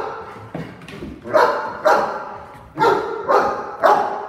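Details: Cane Corso barking at a role-played home intruder inside a house: a quiet start, then a run of loud, deep, regularly spaced barks, with soft human voice in the background.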